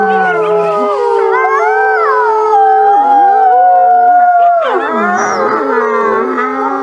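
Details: Wolves howling in chorus: several long, smooth, sustained tones overlapping at different pitches, some gliding down and rising again, with one voice holding a steady high note before the calls break into wavering, sliding notes.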